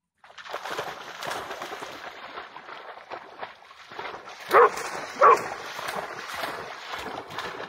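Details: Pharaoh Hound barking over water while eagerly trying to catch a bug-hunting bat; two sharp, loud barks come close together near the middle, over a steady rushing background hiss.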